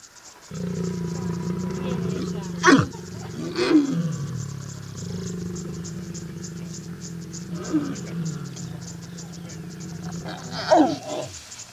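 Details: Lions mating in Kenya's Masai Mara National Reserve, open grassland with acacia trees: long, deep rumbling growls in two sustained stretches, broken by sharp rasping snarls near three, four, eight and eleven seconds, with crickets chirring steadily behind.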